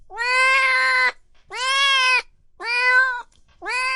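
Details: Cats and kittens meowing loudly: four long, even, harmonic-rich meows, each about a second long with a slight downward curl at the end, separated by short silences.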